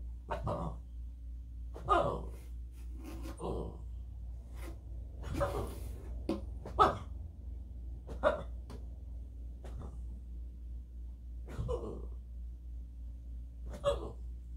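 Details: Boston Terrier throwing a fit: short, low grumbling growls and huffs, about ten separate bursts spread over the clip at uneven intervals, with a steady low background hum.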